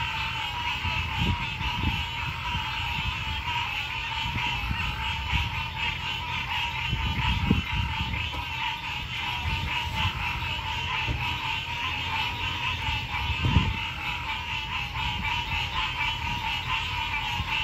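A dense night chorus of frogs, trilling and pulsing without pause.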